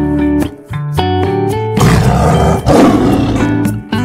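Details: Tiger, a big striped cat described as strong and good at stalking, played as a quiz sound: two rough, noisy roaring bursts of about a second each in the middle, over steady background music with plucked notes.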